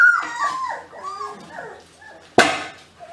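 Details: German Pinscher puppy litter whining and whimpering in wavering high-pitched tones, followed by a short sharp yelp and a soft squeak at the end.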